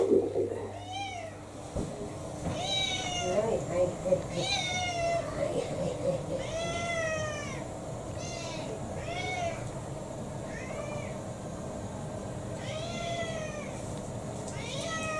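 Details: Repeated short, bending meows, about ten over fifteen seconds, from Kou-chan, an indoor pet cat striking against dinner in December 2022, with a person talking quietly in the background.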